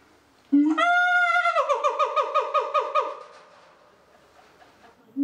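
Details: Male gibbon named Cage, neighbour of the gorilla house at a zoo, squealing during the gorillas' breakfast: a rising hoot bursts into a long run of rapid pulsed whoops, about a dozen beats fading over two seconds.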